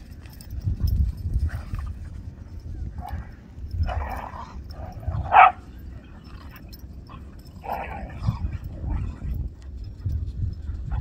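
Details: Whippets and cockerpoos let loose and playing a game on a beach: a few short, sharp barks and yelps come in scattered bursts over a steady low rumble of wind and surf.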